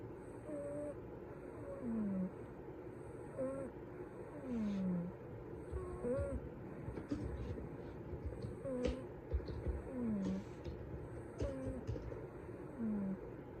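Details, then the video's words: A rescued cat snores while asleep. Whistling nasal tones slide down in pitch and repeat roughly every two seconds, with faint rasping breaths and a steady high electronic tone pulsing in the background. "ぽん太のいびきCat snoring"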